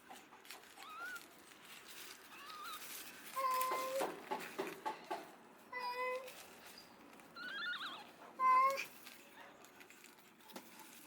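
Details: Rescued kitten that was abandoned and left freezing in -11°C snow for two days. Several short, thin meows, some wavering and some flat, scattered over a quiet background with soft rustling.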